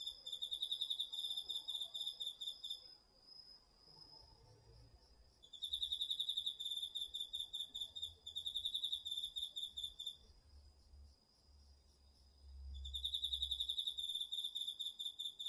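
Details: Autumn night insects, crickets among them, in a garden field, DR-40X recording: bursts of high pulsed chirping a few seconds long separated by pauses, a faint continuous high tone, and a soft low rumble in the background.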